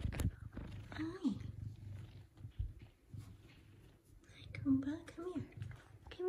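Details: Large male F2 Savannah cat kept as an indoor pet, meowing affectionately while greeting its owner; two short bent meows, one after a second and another near five seconds, over a person's soft, cooing talk in a small room.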